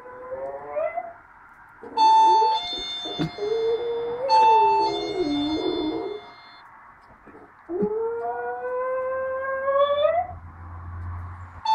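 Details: A pet West Highland White Terrier howls along to a doorbell indoors: long wavering tonal howls sliding up and down, rising glides near the end, with steady doorbell chime tones ringing over them.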